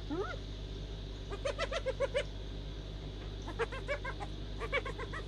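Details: Hyena laugh in short separated bursts of rapid giggling notes, opening with a brief upward-swooping cry, set against a constant low background hum.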